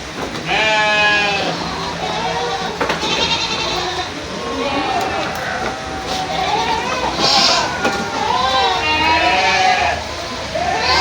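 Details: Goats bleat repeatedly in wavering, nasal cries that overlap one another.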